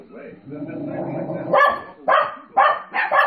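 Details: Puppies bark at dogs on TV. A low, murmuring, voice-like hum comes first, then four loud, abrupt barks about half a second apart.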